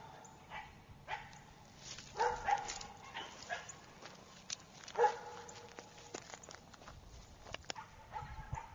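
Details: German Shepherd puppy, a black and tan male, giving a few short sharp barks around two and five seconds, with quiet background noise between them.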